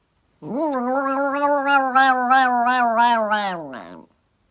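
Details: A kitten gives one long drawn-out meow of nearly four seconds, steady and harmonic with a slight wavering pulse, falling at the end; indoors, no other sounds.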